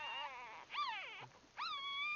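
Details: Just-born Bulldog puppies jostling in a nest: a wavering, descending whine followed by a sharp upward squeal and a steady, high-pitched cry.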